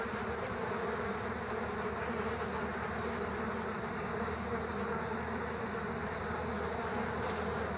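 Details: Multiple killer hornets battling ground bees at their underground nest, a thick continuous drone of many insects buzzing at once, even in loudness from start to end.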